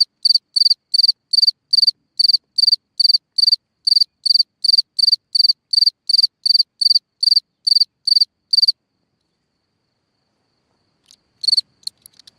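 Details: Cricket singing at night from a hole in the ground: a steady run of bright, high chirps, each a quick triple pulse, repeated about two or three times a second for nine seconds, then silence broken by a few faint clicks.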